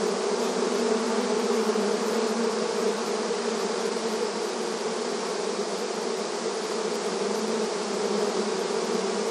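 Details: Many honey bees active in front of their hive entrance, in a rural setting: a steady, dense buzzing hum with strong low tones, unbroken and even throughout, no other sounds.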